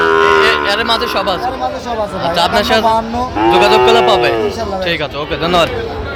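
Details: Lowing of Sahiwal cattle, Sahiwal bull calves, Comilla, Bangladesh, on 13 November: a long harmonic moo early on, then a second that swells and sinks near the middle, amid constant chatter of men's voices.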